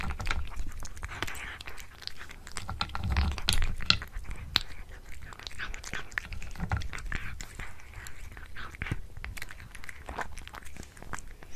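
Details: Domestic cat chewing a tuna mini stick in a small indoor room. Soft biting and mastication clicks come in uneven runs a little over two per second, with low thumps and faint background murmuring.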